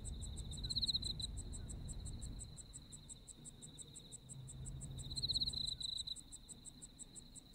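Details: Autumn insect sounds from Japan with a sustained ringing trill and rapid steady high pulses, two louder fluttering bursts near the start and later on, set against a deep background rumble that fades midway.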